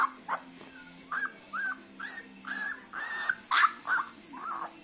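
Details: Grey female Leonberger puppy whimpering: a string of short, nasal whines, some rising and some falling, repeated roughly every half second, with a faint low hum behind.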